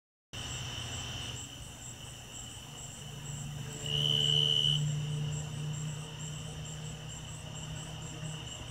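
A Davis's tree cricket sings a clear, high, even trill that runs on without a break and swells briefly midway. A low, steady rumble hums underneath throughout.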